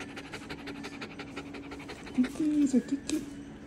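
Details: Nervous dog panting rapidly and steadily, about three breaths a second, with a short whine or voice near the middle and soft background hum.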